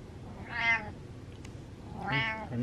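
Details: Domestic cat with gas, uncomfortable and meowing: two clear, bright, drawn-out meows about one and a half seconds apart, with a faint click between them in a quiet room.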